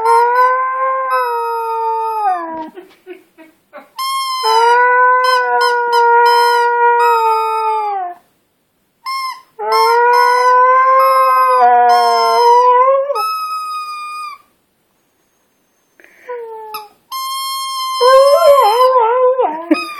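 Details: Husky named Alaska howling while playing with her ball, sustained harmonic notes that hold level and then droop at the ends, three long phrases and a shorter wavering one, with brief pauses between.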